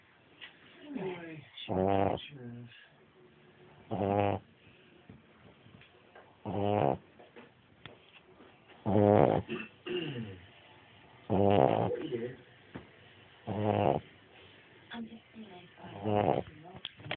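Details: A dog snoring, with loud rasping snores recurring about every two to three seconds and quieter breathing between them.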